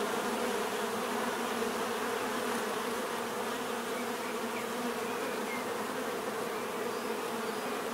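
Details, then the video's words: A continuous swarm drone of bees: layered, even humming with stacked tonal bands, constant in loudness throughout and no other sounds breaking through. "bees therapy relaxing natural buzzing sound"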